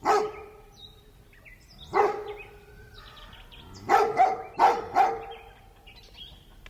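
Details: Large dog letting out loud, sharp barks, one, then another, then a close run of four, with faint high whistling chirps in the background.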